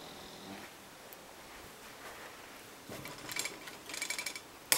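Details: A male English Bulldog snores with soft, raspy, breathy rattles that grow louder toward the end.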